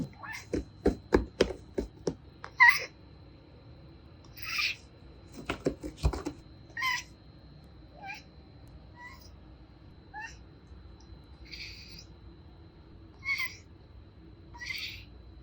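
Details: Male Bengal cat, two years old, conversing with its owner through a glass window; a burst of sharp knocking sounds opens, then about a dozen short, bright meows follow at irregular intervals of one to two seconds in a quiet room.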